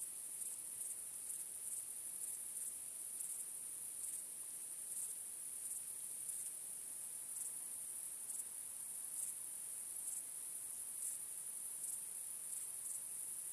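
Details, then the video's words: A nighttime chorus of crickets under a starry sky: an unbroken high-pitched ringing trill with irregular louder chirps, about thirty-three a minute, rising above the steady hum. Nothing else is heard. "Cykanie Świerszczy 🦗 Gwieździstą Nocą 🌙 {Night Crickets Sound}"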